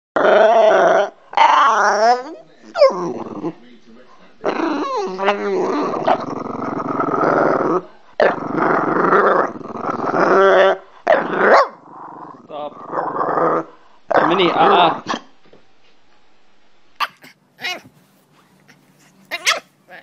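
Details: French Bulldog described as cranky, giving a long run of harmonic grumbling growls and moaning whines in bursts of one to three seconds, rising and falling in pitch, with short pauses and a few faint clicks near the end.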